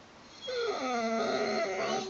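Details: A Vizsla whines in a high, nasal tone that dips and then lifts again, wanting a rabbit.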